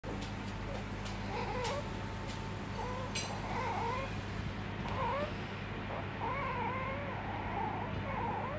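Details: A pet Asian small-clawed otter in Tokyo, clingy toward its owner, gives a steady run of high, squeaky chirps that waver up and down in short bursts, over a constant low indoor hum.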